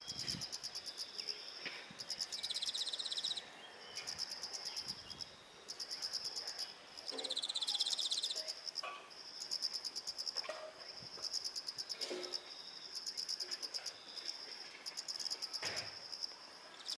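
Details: Autumn insects singing in a garden among flowers, a chorus of many callers: bright, high, rapidly pulsed trills in overlapping bursts that stop and restart every second or two, with a steady shrill tone underneath and a few soft clicks.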